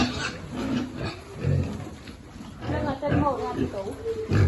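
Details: Piglet being fed among a farm pig group, giving short low grunts and a few higher squealing cries that overlap loudly with one another, while human voices talk in the background.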